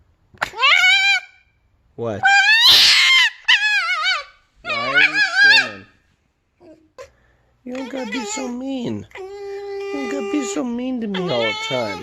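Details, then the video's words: Pet red fox screaming indoors while annoyed, with loud, harsh, wavering shrieks that rise and fall in several bursts. They end in longer, steadier wailing notes in a small room. "The many Sounds of a Red Fox."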